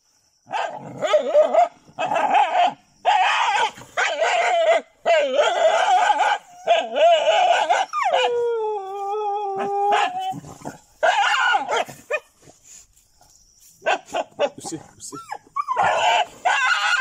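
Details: Dogs in Chilaw, Sri Lanka, attacking jungle cats near pigeon houses. Dense runs of harsh, rapid barks and yelps come in bursts, broken midway by a sustained, falling, tonal whine lasting about two seconds, then scattered cries.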